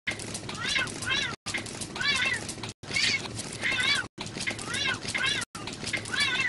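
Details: Pet cats calling in five edited snippets, each with one or two bright, bending meows that sweep up and down. Soft room noise and possible speech lie underneath.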